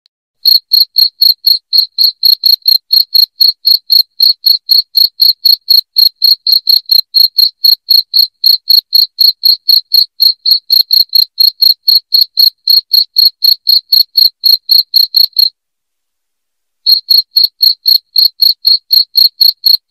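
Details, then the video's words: Loud cricket chirping, played to drive rats out of a house: clean, high-pitched pulses repeated about four times a second in a steady run, with a short silent break near the end and no other sounds. "SUARA JANGKRIK NYARING PENGUSIR TIKUS"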